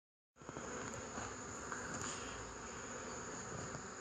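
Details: Honey bees recorded on 8 March 2015, a dense, steady buzzing that holds unbroken from start to end over a constant thin high whine, with faint clicks scattered through the hum.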